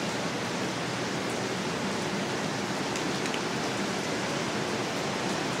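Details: Heavy, steady downpour in Manila hisses evenly throughout, with no animal calls heard.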